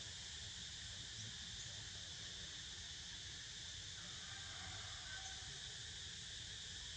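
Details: Steady cicada buzzing fills the air as a constant shrill drone, with a faint brief squeak partway through and low background rumble.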